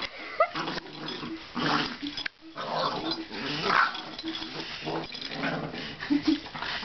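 A Boston Terrier makes snorting, grumbling and whining sounds in uneven bursts.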